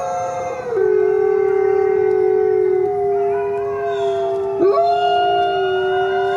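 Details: Long low coyote howl held almost throughout, with a second higher voice layered above and a fast pitch swoop partway, tones continuous and smooth.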